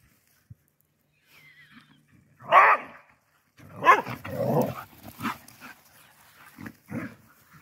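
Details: Galgos Ely, eight years old, and Carlotta running and playing together: two sharp, harsh barks about a second apart, then rough growly play noises and shorter yelps mixed with people's voices.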